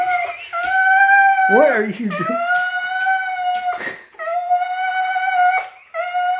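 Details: Apollo the Siberian Husky cries indoors, angry at being left behind as someone departs; sustained high wailing tones, with a brief lower warbling sound partway through and small gaps between cries.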